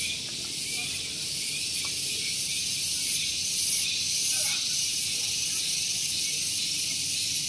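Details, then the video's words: Cicadas (tonggeret) singing on a morning at Gunung Geulis, Bogor, West Java, very loud: a dense, steady high buzz with a slight swell near the middle. A faint low rumble from a nearby vehicle parking area runs underneath. "Santuy Pagi Ditemani Suara Tonggeret"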